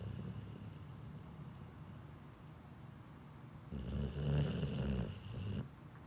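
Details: Pit bull asleep, snoring steadily with low, throaty rumbles that swell into a louder, heavier stretch partway through before settling back down.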